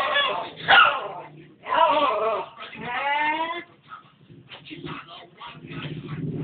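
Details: Pet dog Marco, father of another dog named Molly, barking as he talks to his owner: drawn-out, wavering, whine-like yowls near the start, middle and third second, then softer broken grumbles fading out.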